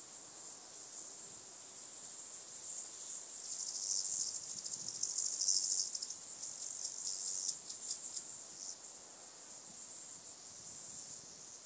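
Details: Stenobothrus fischeri, the White-headed Toothed Grasshopper, recorded in the Sandberge of Oberweiden, Austria, 15 July 2020: continuous high, rasping buzz with rapid pulsing throughout, steady in strength.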